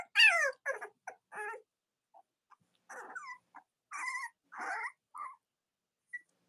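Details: Young Cavalier King Charles Spaniel puppies kept indoors with their mothers on a chilly autumn morning: a loud rising-falling whine opens, then softer squeaks, grunts and short nasal whimpers scattered across the clip.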